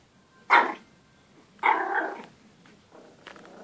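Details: Pomeranian puppy barking at his own reflection; two sharp, short yaps about a second apart, followed by a faint, rougher growl-like sound.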